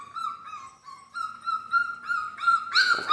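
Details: Bull Terrier puppies, 41 days old, in their pen raising their ears; thin, high whines and yelps overlap in sustained tones, growing louder and rougher toward the end.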